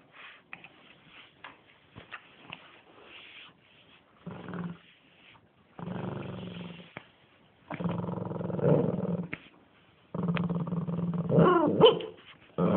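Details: A Shih Tzu growls during play, starting with soft rustling, then several sustained low growls, each about one to two seconds long, building louder toward the end.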